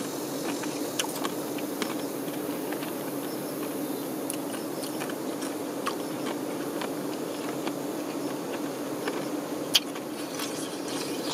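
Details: Honey bee workers tending their queen: a steady, low, droning hum of many wings runs throughout, with scattered faint ticking clicks and one sharp tap near the end.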